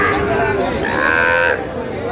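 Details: Sahiwal cattle at a cattle market in Narayanganj, Bangladesh, 21 August, where a farmer buys Sahiwal bull calves; a drawn-out, mid-pitched lowing moo with a rough harmonic tone, rising then levelling, under steady crowd chatter and men talking.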